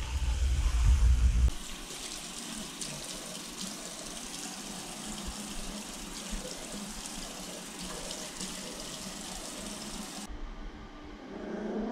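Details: A water tap runs steadily into a sink after a short low thump, then stops near the end. No animal sound is heard.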